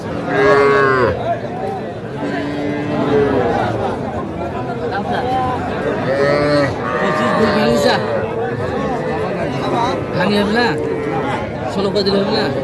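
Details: At a Faridpur cattle market in Bangladesh, 8 February 2025, where small bulls and heifer calves are traded, several calves low repeatedly in long, rising-and-falling moos that overlap one another, with crowd murmur and haggling voices behind.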